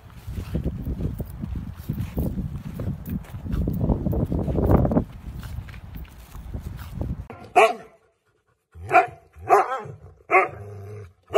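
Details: Dog in a funny pet compilation: after seven seconds of low rumbling background noise, four short, sharp barks, each sudden and punchy, spaced about a second apart.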